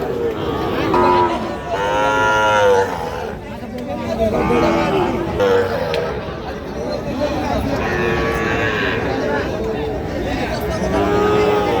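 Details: Bull calves for sale at a cattle market in Dinajpur district, Bangladesh; several drawn-out, rising-and-falling moos overlap amid a steady murmur of crowd chatter and bargaining voices.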